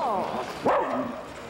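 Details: Four-month-old puppy barking at an image of a tiger instead of showing fear: one short, sharp bark rising out of a man's narration in Korean.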